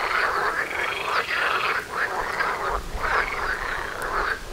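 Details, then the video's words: Frogs calling in a dense chorus outside a front door in nature, tied to mating; overlapping rattling croaks in the mid range form continuous pulsing waves, with brief dips around two and three seconds. "Froschkonzert vor der Haustüre"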